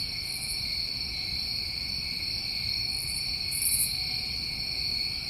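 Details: Constant trilling from many New England crickets in summertime, a continuous shrill, even hum, overlaid near the end by a few brief, very high buzzy pulses.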